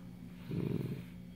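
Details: Dachshund growling while guarding a dog chew indoors; one low, rough, rumbling growl lasting about half a second over a quiet steady room hum.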